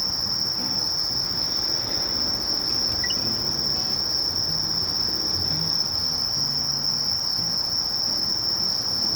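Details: Continuous shrill trilling of a Sasakiri katydid, Conocephalus melaenus, held level without pause, over a soft low rumble and a couple of brief faint chirps.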